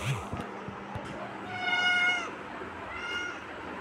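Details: Kitten meowing indoors: a short harmonic mew around the middle, then a fainter second mew near the end, with light clicks and rustling early on.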